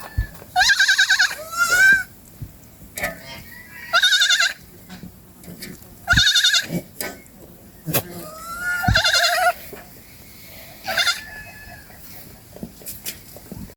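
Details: Goats eating in a forest produce a series of short, harsh, vibrating bleats roughly every two seconds, with clicks and rustling of feeding between calls.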